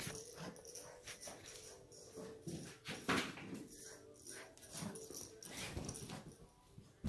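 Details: A 10-week-old female Vizsla puppy indoors gives a thin, high whine with a steady tone near the start, among clattering thumps, scratching and handling noises in a small room.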